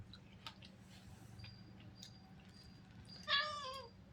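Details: Domestic cat indoors giving a single short meow near the end, harmonic and falling in pitch, after quiet background hum and faint tapping.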